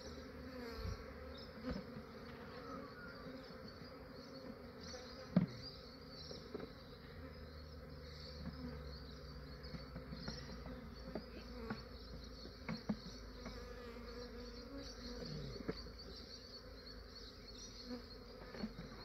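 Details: Big honey bee swarm being captured in Australia in the cool early morning: sustained buzzing drone over a heavy low rumble, with scattered clicks and taps from handling the swarm throughout.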